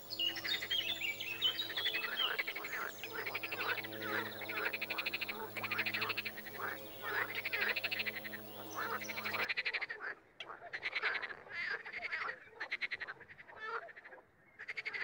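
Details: Frogs croaking in chorus and singly: a steady stream of overlapping rattling, pulsed croaks with no real pauses. The background changes abruptly partway through and becomes quieter.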